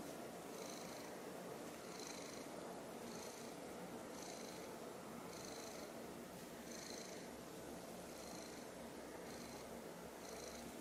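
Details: Purring silver tabby house cat gazing up at a confiscated toy, eyes wide and round; continuous low purr with regular breathing pulses about once per second throughout, indoors and otherwise quiet.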